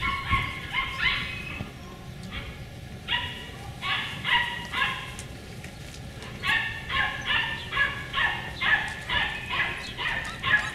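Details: Beagle puppies of one litter barking in rapid high-pitched yips, bursts repeated roughly twice a second in clusters, with another litter audible in the background inside a window.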